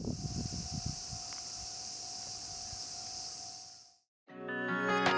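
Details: In late-summer heat, a cicada cries loudly in a steady, high buzzing drone, cut off abruptly before music begins.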